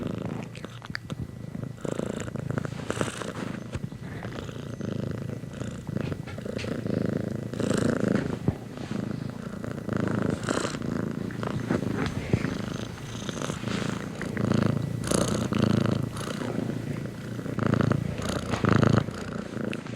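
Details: Soft, continuous purring from a cat, a quieter low vibrating rumble with gentle, uneven pulses and some faint rustling throughout.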